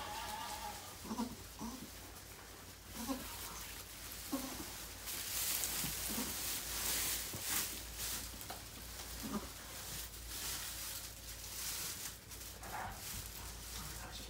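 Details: Indoors at Goats of Anarchy, the rescued goat Maybel, once kept by a breeder, delivers four kids; brief harmonic bleats come in a loose series across the first ten seconds amid rustling, handling noise and human voices.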